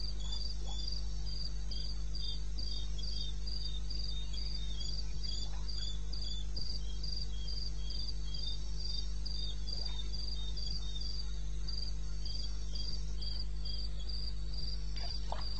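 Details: Cricket calling at night in the wild of eastern Botswana, 2:30 am, 21 May. A fast, even train of high chirping pulses runs through the whole stretch over a constant low droning hum, with a few faint clicks.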